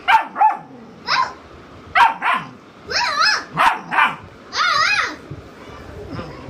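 A Rottweiler puppy gives short, high, wavering howls between quick yips, still finding its voice.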